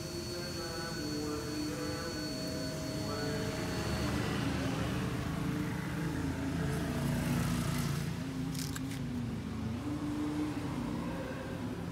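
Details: Steady urban street noise with passing cars and a revving motorcycle, plus some human speech; no animal sound is heard.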